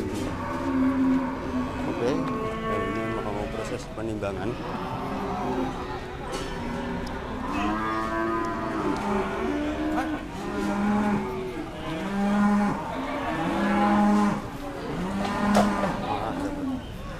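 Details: Several cattle at the Dimoro cattle market in Blitar during weighing: a series of harmonic moos, some short and some drawn out, recurring every second or two, over steady market chatter and clatter.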